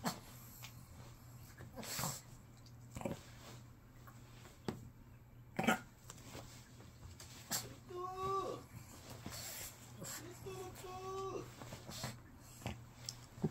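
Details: Lotto, an indoor Shih Tzu mother dog, throwing a tantrum when called to go to her owner; two short, wavering whiny grumbles with stacked tones come near the end, amid a woman's coaxing speech and household rustling.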